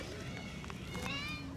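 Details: Pearl, a talkative female stray cat, answers just after her name is called with a long, drawn-out tonal meow that rises slightly and then falls, lasting about a second, against outdoor background noise and a person's voice.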